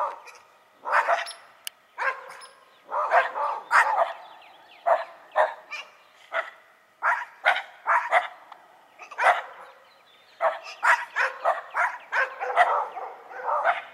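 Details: Shiba Inu and Schipperke dogs barking back and forth, rapid clusters of sharp yaps and yelps repeating over fourteen seconds, some barks overlapping, with short silences between the bursts.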